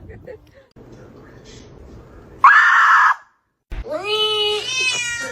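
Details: Domestic cat giving a drawn-out harmonic meow near the end, after a low murmur of background noise and a short harsh burst of sound midway.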